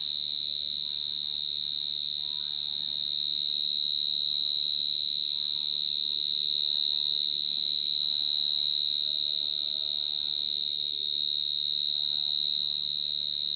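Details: [['Loud calling of a short-tailed cricket (jangkrik gangsir): a sustained, piercing high trill at one steady pitch for the whole stretch, with faint scattered background noises.']]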